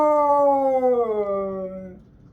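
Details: On a Sunday morning a Siberian Husky lets out a loud harmonic scream, one sustained howling note that droops gradually in pitch and fades out after about two seconds.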